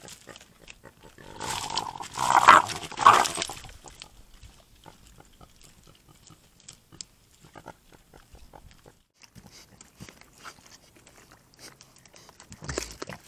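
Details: Javelinas at night on a trail camera in Tucson, Arizona, on a hot night, jostling for space in a small desert critter pond. The squabble includes mothers with babies. A loud, harsh, rasping outburst lasts about two seconds, with two sharp peaks, then fades to quiet scattered rustling and a brief final scuffle.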